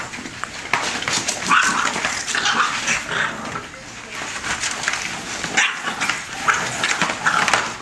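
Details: A litter of bulldog puppies, five and a half weeks old, from Rocko and Teerza, playing and fighting together: brief high squeaky yelps and whimpers scattered over steady scuffling and rustling noise.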